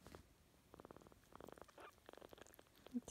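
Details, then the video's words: Otter, an orphan kitten being loved by Josette, a female Shetland Sheepdog, purring: soft, rapid, pulsing throb coming in short bursts separated by brief pauses, with a faint human voice nearby. "Josette loving Otter and Otter purring"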